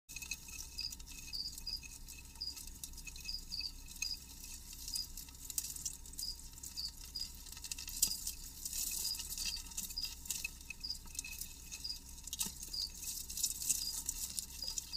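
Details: A Jamaican field cricket (Gryllus assimilis) gives faint, high, steadily repeated chirps over soft crackling and tapping while eating a cereal grain.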